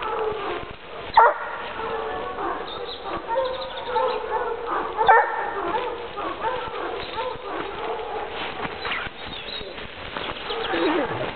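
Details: Hunting dog on a leash tracking wild boar, reaching the boars' bedding site; two sharp barks stand out at about one and five seconds over a steady stretch of whining, panting and rustling.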